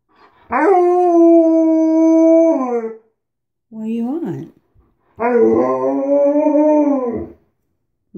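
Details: Alaskan Malamute at home, pushing into the bathroom through a door left ajar, gives two long level howls about two seconds each, separated by a short rising-and-falling yowl, with a person's voice briefly between.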